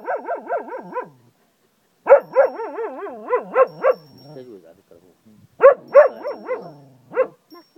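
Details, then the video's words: Zeeko, a Cocker Spaniel in Ajloun, Jordan, howls like a wolf in wavering, yodelling bursts that pulse rapidly up and down. "zeeko the werewolf , cocker spaniel howls like a wolf,,lol"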